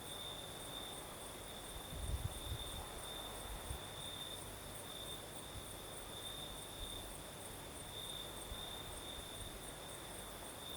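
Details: Crickets singing at night in the south of Crimea during a night breeze: a steady, high, shimmering trill with faint pulsing, plus a fainter higher hiss, over a soft breeze rumble with a brief low gust near two seconds.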